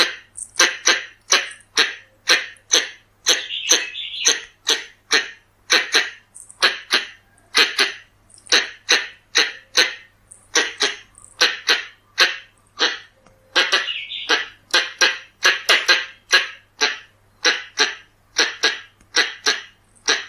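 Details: Pallas's squirrel (red-bellied squirrel) calls played as a lure: long series of harsh, broadband chuck notes, roughly two to three per second, with brief breaks in the rhythm and a quiet background.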